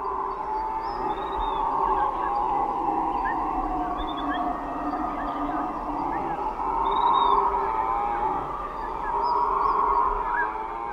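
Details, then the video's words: Howler monkeys, also called guariba, native to the Amazon rainforest and living in groups of 3 to 20 led by a dominant male: a long, continuous droning howl that swells louder midway, with faint bird chirps high above. "Os bugios são conhecidos por suas vocalizações altas e distintas, que podem ser ouvidas a longas distâncias na floresta."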